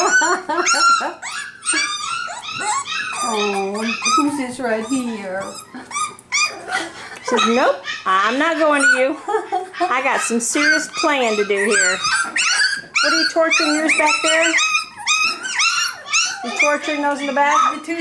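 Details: Five-week-old F1b Cavapoo puppies from Honey's litter at a licensed commercial kennel in Carthage, Missouri. They give overlapping high, arching whines and yelps, rising and falling in quick succession indoors, with a person talking over them.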